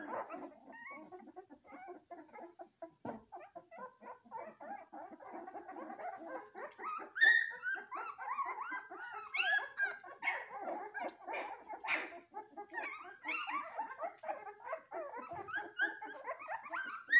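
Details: Golden retriever puppies in a steady stream of small whimpers and whines that build into louder squealing yelps and sliding cries partway through, several pups calling over one another.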